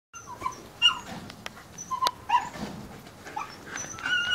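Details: Alaskan Malamute puppies living with their parents in a stimulating breeding-kennel setting; thin, high whimpering squeals and short yelps from several pups, overlapping at irregular intervals, with soft rustling and shuffling behind.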